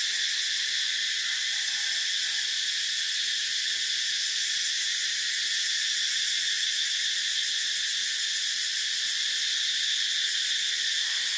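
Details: Cicadas (ve sầu) droning in one continuous, dense, high-pitched buzz that holds steady for the whole stretch without a break, with no other clear sounds.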